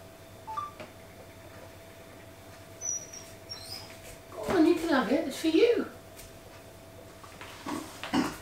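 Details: Rottweiler puppy Silkin, indoors with a huge raw shoulder bone from a local butcher, gives a burst of wavering, pitch-bending whines over about a second and a half, then falls quiet before brief fainter sounds near the end; steady room hum throughout.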